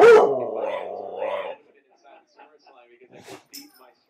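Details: Pet dog making funny sounds, giving one drawn-out, wavering bark-howl of about one and a half seconds, followed by quiet with faint small clicks and shuffling noises.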